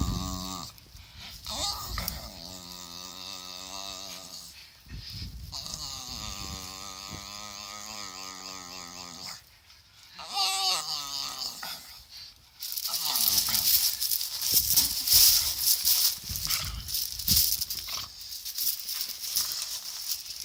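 A Staffordshire bull terrier makes odd whiny, grumbling and moaning sounds.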